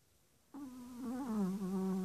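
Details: Rico, a six-month-old Chihuahua adopted from the ASPCA two days earlier, asleep and snoring: a sudden, steady, low, humming tone that wavers slightly and holds for well over a second in a quiet room.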